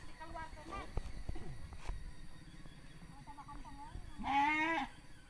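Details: Sheep during mating in Sirna Rasa village: one loud, quavering, harmonic-rich bleat of about half a second near the end, after stretches of human voices and low rural background noise.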